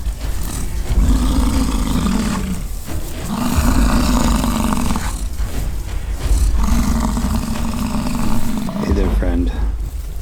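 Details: Rutting-season fight between American bison on a Peace River ranch, Fort St. John, British Columbia, Canada; three long, deep, throaty bellows about two seconds each, separated by pauses, amid low wind rumble, with a brief human voice near the end.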